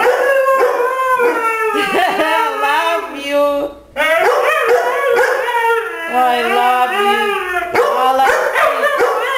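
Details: Siberian Husky singing alongside a Labrador at home; long, sliding, vocal howls with warbling rises and falls, a short pause near the middle, then further overlapping howls and yips from both dogs.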